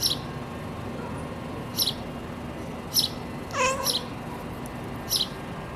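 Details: Jessica, a Siamese cat kept awake by birds, lets out one brief stuttering chirp of quick rising notes, surrounded by thin high bird chirps repeating every second or so over a low room hum.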